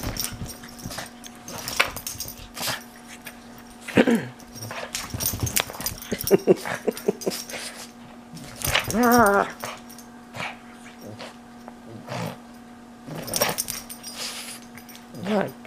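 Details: A pug plays hard with his stuffy toys, letting out scattered snuffles and growly grunts plus a few wavering whimper-like cries, amid clattering thumps, a steady background hum, and a person's excited chatter.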